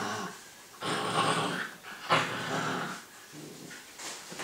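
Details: Two puppies playing together, a six-month-old Staffordshire bull terrier and a Staffy cross husky; rough playful growls and breathy snarls in bursts, with short quiet gaps between.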